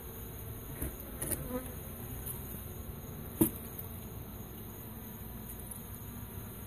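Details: Rescued honey bee swarm, taken from an elementary school property, being moved into a new hive: a steady, low droning hum with layered tones, broken by a few soft knocks and a brief sharp tap midway.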